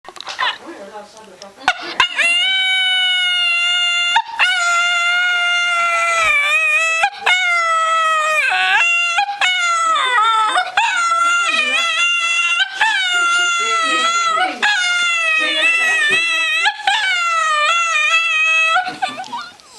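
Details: A dog "singing", howling in long, high, wavering tones that rise and fall almost without pause.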